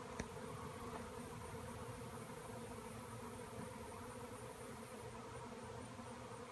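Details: Honeybee swarm formed after bees were cut out of a tree, circling in the air; constant low, buzzing drone, steady in loudness, with a brief tap near the start.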